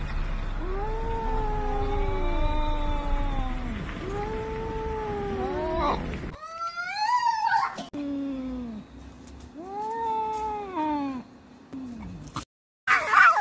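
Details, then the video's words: Cats fighting, giving long drawn-out yowls that rise and fall in wavering arcs, several overlapping, with a sharp break midway and a brief loud scuffle near the end. "Cat fighting sounds"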